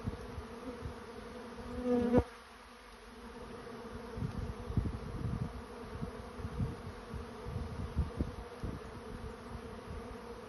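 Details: Honey bees swarming to a new home; a droning hum of many bees with a sharp, loud buzz as one bee passes close at the start, then a steady hum with low knocks.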